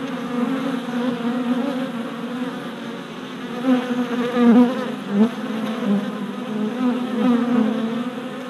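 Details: Honey bee workers flying orientation loops in front of a new deep hive, recorded with a GoPro Hero Session 5 in April 2017; a constant buzzing hum punctuated by sharp, louder whines of bees darting past.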